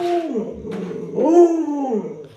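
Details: Alaskan Malamute Luoluo, kept as a pet, gives a short wavering howl that dips and then swells upward, urging its sleeping owner out of bed; a brief indoor snippet with faint background voices.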